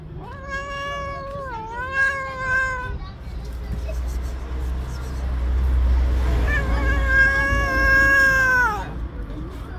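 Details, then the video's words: Tabby mother cat living on the street, angered by someone handling her kittens, gives two long wailing yowls several seconds apart, the first wavering in pitch, the second rising and held, with low outdoor hum between. "The angry tabby cat was very angry at me for touching her kittens."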